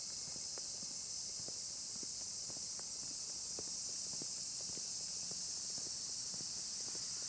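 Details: On a dusk forest path near Kamimizo, Kanagawa, Japan, on 27 July 2025, cicadas keep up a dense, steady, high-pitched shrill chorus with occasional bush crickets mixed in, and footsteps crunch along the path.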